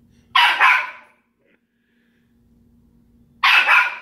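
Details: A pet dog indoors barks at another pet: a quick double bark, a three-second pause with faint room hum, then another loud double bark, each sharp and mid-pitched.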